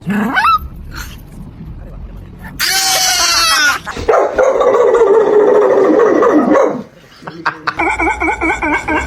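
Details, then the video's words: Dogs making strange sounds: a series of varied whining, howling and yelping vocalizations with wavering pitch, one long sustained wail, then a run of short rapid yips, with brief speech in between. "How do these dogs make such strange sounds❓"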